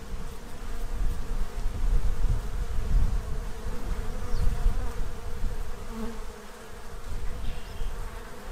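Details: Central Illinois bees gathered at a feeding tray before winter, a deep, rumbling, fluctuating hum that fades slightly toward the end.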